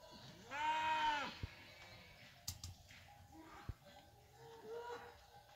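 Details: Fighting-breed cattle, cows with their calves coming down from the hills: one loud, drawn-out arching bawl lasting about half a second, followed by fainter, shorter bawls, with sharp knocks and clicks in between.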